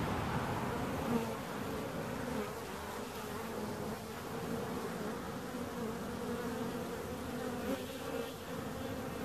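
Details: Bees humming together in a steady, murmuring drone, with occasional individual buzzes rising and fading above the low continuous hum.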